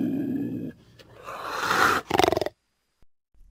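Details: Cougar (Puma concolor), growl.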